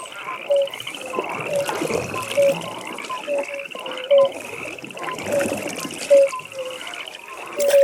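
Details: Several frogs calling at a pond in the evening: a softer background of high pulsed trills, punctuated by distinct short tonal chirps, some louder and closer, spaced irregularly across the recording.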